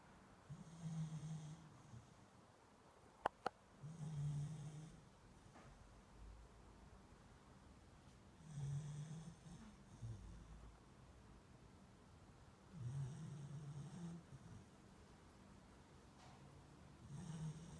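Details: A sleeping beagle snores in a small indoor room, five low rumbling snores spaced about four seconds apart, each paired with a soft hiss of breath, two sharp clicks near the start.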